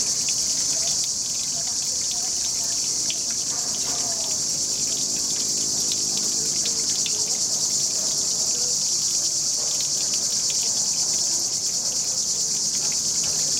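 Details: Cicadas sing in a steady, high, buzzing chorus in the trees over a river, above the soft patter of a running fountain.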